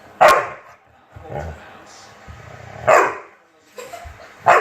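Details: A chocolate Labrador named Obi takes on a fidget spinner, giving short, sharp barks spaced unevenly about every one to two seconds. Softer low grumbles fall between them, and a human voice is faintly heard.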